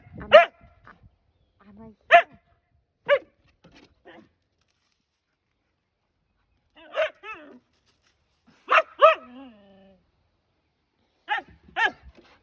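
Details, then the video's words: Morning barking from Lady, a husky known as the neighborhood alarm clock: irregular loud barks and yelps scattered over several seconds, with softer whines and a woman talking to her between them. "the neighborhood alarm clock"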